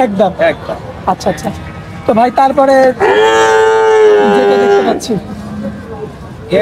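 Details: Young bull calves at a livestock market in Bangladesh: a long, steady harmonic moo lasting about two seconds mid-clip, with shorter calls and crowd chatter around it.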